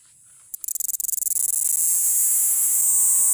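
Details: Jhingur cricket calling to draw females: a rapid run of clicking pulses speeds up and merges into a continuous, very high, shrill trill that holds steady to the end.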